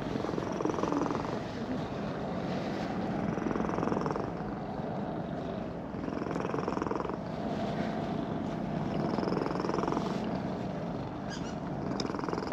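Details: Contented purr from a brown-and-white park cat as it is petted after walking down a slope; continuous low vibrating rumble in breath-paced pulses, with soft stroking noises and a few faint clicks.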